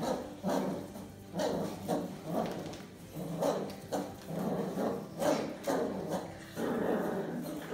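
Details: A Miniature Bull Terrier playing tug with a rag, pausing for a bit of food, gives rough, throaty growls and short barky yelps in uneven bursts.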